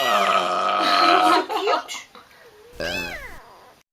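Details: A pet kitten meows in a drawn-out, wavering cry with a strong harmonic stack, followed after a pause by a shorter rising-and-falling meow, while a person speaks affectionately to it nearby.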